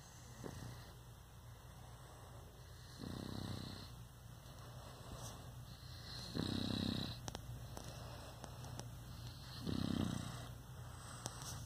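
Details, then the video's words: A sleeping male Boston Terrier snores in low, rumbling breaths roughly every three seconds. "Boston Terrier Snoring - Relaxation to the Max - Puppy Love ASMR"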